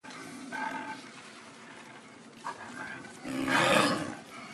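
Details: Snow leopards at a Japanese zoo after mating, the male pursuing the female during a rough quarrel: two short harsh growling bursts, the second louder and raspier, over faint background murmur.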